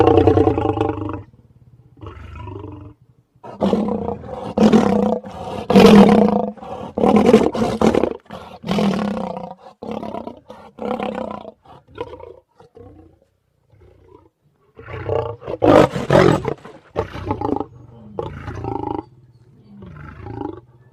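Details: Lion (Panthera leo), roar.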